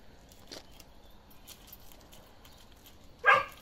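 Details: Balyoz, a 15-month-old male Kangal with a karakırçıl coat, just beginning to mature, lets out a single loud, short bark near the end after a quiet stretch of faint rustling.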